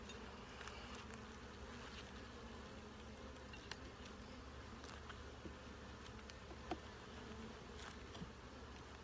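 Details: Colony of honey bees during a hive inspection and general hive maintenance, a thick continuous drone of massed wings holding level throughout, broken by occasional sharp taps and knocks from the beekeeper's work.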